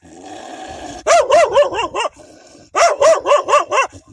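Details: Wild dogs defending their pups bark loudly and fiercely: two rapid bursts of about five harsh, rising-falling barks each, separated by a short pause, over a steady background hum.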